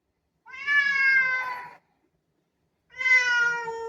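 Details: Indoor black cat asking for the door to be opened, giving two clear, loud meows separated by silence; each call is rich, tonal and gently falling in pitch, the first lasting over a second.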